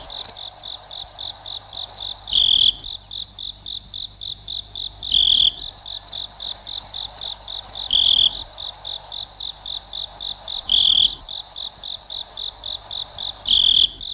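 A cricket trills steadily on a high, thin note, broken by louder chirp bursts about every three seconds.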